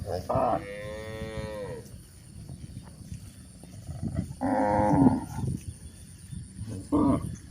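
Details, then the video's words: Cows walking on a hill: a drawn-out, falling low moo, then two shorter, louder moos a few seconds apart, with quiet rustling between calls. "Charming Cows on the Move: Hill Journey with Funny Sounds and Gentle Footsteps"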